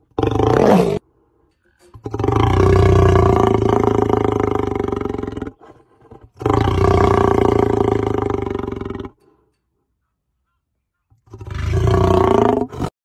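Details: Powerful lion roars recorded in the wild: three long, throaty roars of three to four seconds each, rich in low harmonics and separated by silent pauses, plus a brief closing burst.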